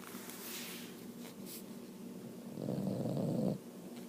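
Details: A sleeping female Boston Terrier snoring indoors, a steady low rasping rumble through each breath that swells louder near the end before dropping back.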